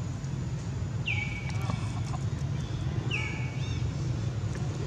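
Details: Baron, a baby monkey carried off by the monkey Bridget, calls for its mother with two clear, slightly falling then steady cries about two seconds apart, set against constant low rumbling background noise.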